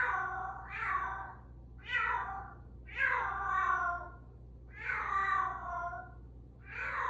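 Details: Bengal cat at its regular 8:02 meowing time, morning and evening; four loud, insistent meows with a falling tone, each roughly a second long, spaced about a second apart, with a faint background hum.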